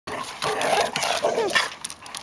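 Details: Four dogs playing indoors in February: a German shepherd mix with a husky-terrier mix, a fox terrier-yorkie mix and a French bulldog; dense, continuous rough growling and yapping for about two seconds, with faint voices.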